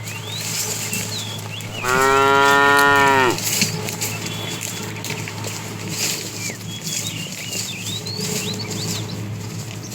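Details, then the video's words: Tame herd cow, a fat animal called a bull calling the female, herded in the afternoon: one steady harmonic moo of about a second and a half, then quiet with faint bird twitters and a constant low hum. "The funny sound of a fat cow calling the female"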